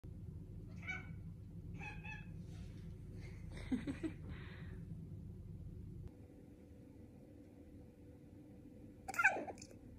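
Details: Sulking tuxedo cat indoors giving a few short harmonic meows around one and two seconds, a louder drawn-out mew near four seconds, and a brief sharp cry near nine seconds, over steady low room hum.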